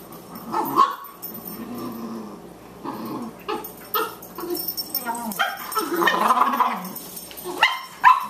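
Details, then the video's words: Boxers Margie, a 14-week-old puppy, and Lou Dog the elder play together: rough growls rumble under sharp yelping barks that come in uneven clusters, the loudest near the end. "Margie the puppy vs. Lou Dog the Elder: Boxers at play"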